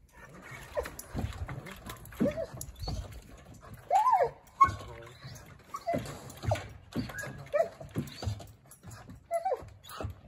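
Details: Eeyore, a massive 85-pound six-month-old Treeing Walker Coonhound puppy meeting his new home and described as loving to talk, gives short arched whining yelps, strongest near the middle and again toward the end, amid a man's coaxing voice and handling noises.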